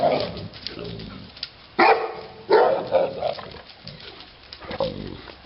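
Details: Neapolitan Mastiff Titti gives a few heavy, rough barks, one drawn into a short burst, with low murmuring voices and room noise in between.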